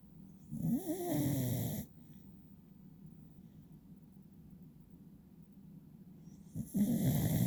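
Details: Beagle named Will sleeping with eyes half open and snoring; two rough, low, rumbling snore breaths about six seconds apart, with near silence between them.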